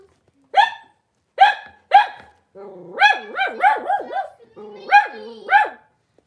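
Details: Cavalier King Charles Spaniel puppies, a blenheim litter of five, in a puppy pen with their mother Paris: three sharp separate barks, then a run of rapid yelping barks with wavering tones, loud and clear.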